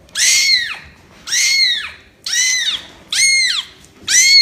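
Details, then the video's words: Kitten meowing in a cute compilation, five high, arched mews in a row, each rising then falling, about one per second with short gaps between, the upper ones thin and squeaky. "Cute kitten Meow Meow Sound Effects"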